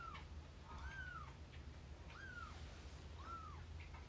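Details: Domestic cats at home: Lara, a rescued kitten, meeting Hime, an older cat, for the first time as they get close. Three short, arched, high meows come about a second apart over a steady low hum.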